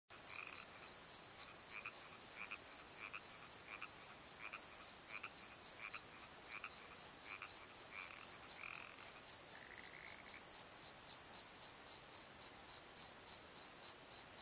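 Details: Crickets calling at night in a valley bottom, near a tree where an owl perches: high pulsed chirps repeated about four times a second, with a second, lower series of pulsed calls, probably frogs, joining and then fading.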